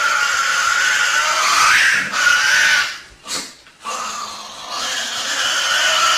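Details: Tasmanian devil, a nocturnal scavenger famous for loud screeching, giving harsh, raspy screeches in loud bursts broken by a brief pause.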